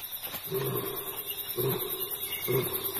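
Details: Adult lioness, unaware of her cub's fate, calling for her pride, her calls heard instead by two nomadic rogue males; three short, deep grunting bursts about a second apart, over a faint steady high music tone.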